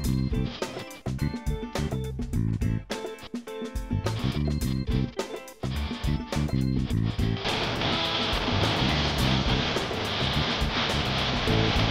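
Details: Strummed electric guitar music with drums plays loudly, turning denser midway, with no animal sound heard.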